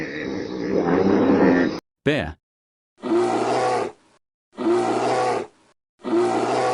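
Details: Bear roaring: a long, harsh, growling roar, a brief warbling squeal, then three rough, throaty roar bursts of about one second each, separated by short pauses.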